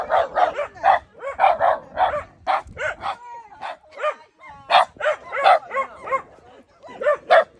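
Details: Barking at a gorilla, Shimeji the Shiba Inu fires off rapid clusters of clear, ringing barks with rising-falling harmonic yelps, pausing briefly around the middle before another volley.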